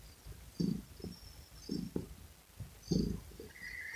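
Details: Domestic cat purring close to the microphone: soft rumbling pulses swell with each breath about every 1.2 seconds, with a faint hiss above and a steady low hum underneath.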